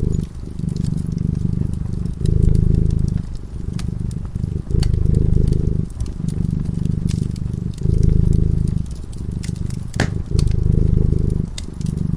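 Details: A domestic cat sleeping peacefully in front of a crackling fireplace purrs steadily: a deep, low rumble in long pulses of roughly one to one and a half seconds, alternating with each breath, while the fire snaps and pops throughout.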